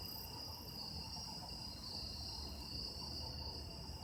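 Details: Chorus of autumn insects at night in autumn, several steady high-pitched trills overlapping without pause, one ringing band standing out, over a low background hum.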